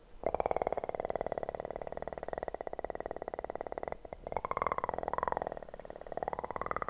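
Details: Purring kitten recorded for ASMR: an even, throbbing purr running almost throughout, briefly broken near four seconds, with a wavering higher tone riding over it in the latter half.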